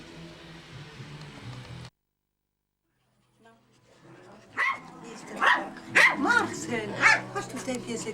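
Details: Small dogs at a Maltese and Yorkshire Terrier breeding kennel in Reda, Poland; after a brief silence, a quick run of sharp, high yapping barks about once a second, with a woman's voice calling the dogs.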